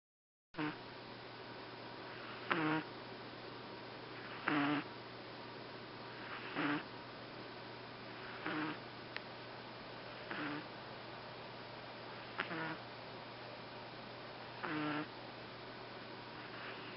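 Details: Boston Terrier named Fuku-chan, asleep the day after arriving at a new home, snoring in rough, buzzy bursts that come about every two seconds, each carrying a low nasal tone, with a steady faint hum behind.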